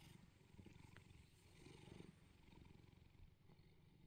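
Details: Bedford, a neutered male Bengal cat at home in England, purrs while being cuddled in the morning: a rapid, rhythmic low rumble that swells and eases slightly, with a few soft taps.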